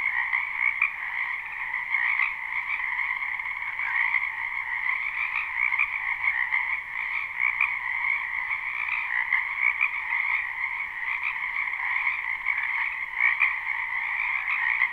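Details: Many frogs calling at once in a spring wetland behind a home, recorded live: continuous layered croaking trills over fifteen seconds, loudness pulsing gently, individual calls blurred into one steady chorus.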